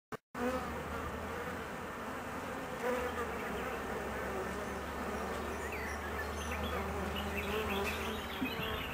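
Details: Honey bee colony, nervous and anxious while its queen is away for 45 minutes on her mating flight; after a short click comes a steady, dense droning hum with a low, even undertone and scattered higher buzzy flickers.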